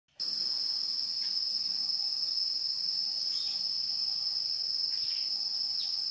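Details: Wild insects in a steady, high-pitched shrill chorus: two unbroken bright tones, one higher than the other, run throughout, with a few faint, short bird chirps dropping in pitch.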